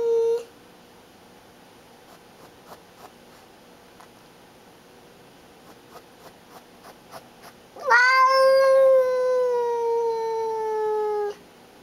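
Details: Guarding female pet cat Baby showing who is boss: a short tail of a yowl, a long quiet stretch with faint ticking, then a loud harmonic-rich yowl rising at onset and sliding slowly downward for nearly four seconds.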